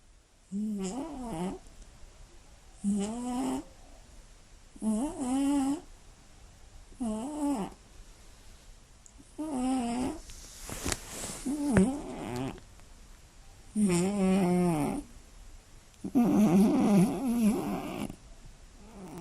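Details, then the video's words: Female Scottish Fold cat, born 29 March 2016, with slightly folded ears, snoring heavily while asleep at night: a steady series of about eight snuffling, buzzy snores roughly every two seconds, with a brief crackling rustle midway. "猫のいびきが酷過ぎる！眠れない一夜 爆音＆騒音！"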